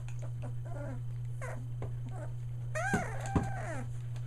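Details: Young Australian Shepherd pups just short of three weeks old, near Mooresville, North Carolina, give faint intermittent whimpers, then one louder drawn-out whine that bends down in pitch, against a continuous low hum.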